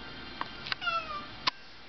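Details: Pet cat just woken up, meowing at its owner: one short, slightly falling, whiny meow in the middle, bracketed by a few soft clicks in a quiet room.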